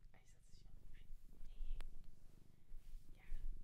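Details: Continuous deep, rhythmic purring from a cat taken in from a Japanese shelter, recorded very near; quiet whispered voice and small touches sound above the rumble in a small room.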